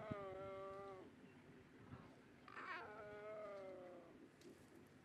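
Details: Big cat cubs of the Nkhuma group at sunrise on 23 August, greeting their mother after her drink at the pan, one cranky cub squabbling over a spot to suckle; two long, tonal whining mews, each about a second, separated by a short rough burst.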